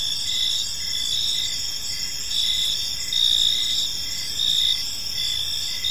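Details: Crickets chirping in a park in the evening: a dense, steady high-pitched trilling chorus with pulsing bands, loudness swelling and easing every second or so, over a low background hiss.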